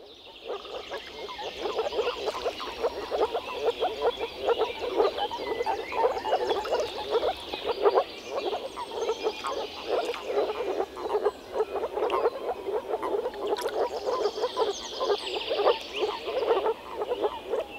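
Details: Male moor frogs croaking through their vocal sacs at an early-spring breeding gathering in a small forest pond; a dense chorus of soft, bubbling low croaks overlapping continuously, with faint bird calls above.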